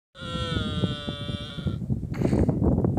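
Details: Dromedary camel calf of the Thar calling for its mother: a long, steady, strongly harmonic moaning bleat lasting about 1.7 seconds, then a rougher, noisier cry, over constant low rumbling and clattering background noise.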